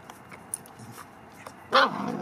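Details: Dogs at play: Duncan, a Labrador Retriever, tries to play with Bogie, a Cavalier who is not yet keen. After near silence with faint rustles, one sharp, loud bark bursts out near the end, trailing into a short ringing tail.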